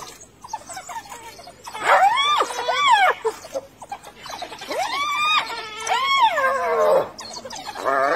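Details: In a hyena and African wild dog encounter, hyenas give strained, arching wails that slide up then drop within about a second, in clusters with brief pauses, mixed with other squeals and background noise.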